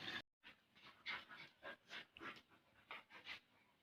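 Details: Bali dogs Jamet and Airbus, one small and one large, playing together; quick breathy panting bursts in a steady run of about ten puffs, after a brief silent gap at the start.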